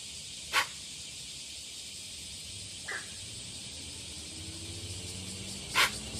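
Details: Deer; alarm snort; warning others of danger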